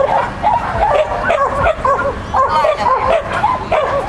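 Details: Sheltie Lesya barking during a child-and-dog competition, 31 May 2015: shrill, rapid yaps in short runs separated by brief pauses, against a noisy outdoor background.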